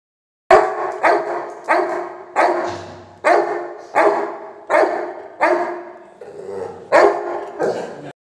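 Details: Labrador Retriever dog barking, ready for dinner: loud, harsh barks repeated roughly once every second, nine or so in a row, each with a short decaying tail, no other clear sounds.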